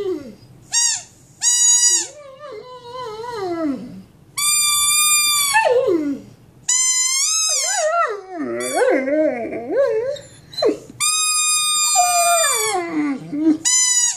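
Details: Mastiff, a large dog, howls in drawn-out, quavering phrases. Clear high sustained tones alternate with lower sliding, moaning passages, separated by brief pauses over about fourteen seconds.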